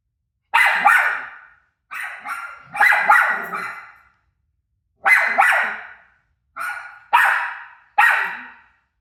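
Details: Dog Rosie barks back at a TV showing her own barking, giving around eight hoarse, punchy barks in loose clusters of one to three, spaced by gaps of one to two seconds.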